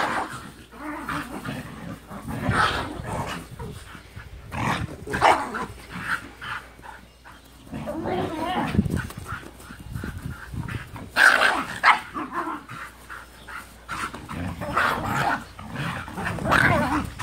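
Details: Two dog sisters at play, an older Husky and a younger Japanese Spitz/Pomeranian mix, the little sister holding her own; scattered growly yips and short barks come in bursts amid rustling, with speech-like noise in places.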